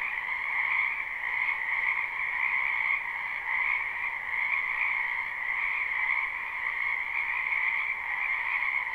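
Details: Spring wetland frog chorus recorded live without looping; countless overlapping croaks blend into a continuous trilling drone, level and unbroken for nine seconds, with faint wavering in loudness.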